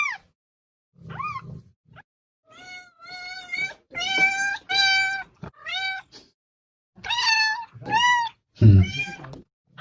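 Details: Loud cat meowing, a mix of flat, sustained meows and sharply arched ones in an irregular series, accompanied by low thudding knocks and handling noise.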